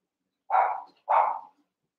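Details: Playing Cavalier King Charles Spaniel puppies in an indoor pen, eight littermates wrestling together. Two clear, bright, yappy barks, each about a third of a second long, follow each other closely against a quiet background.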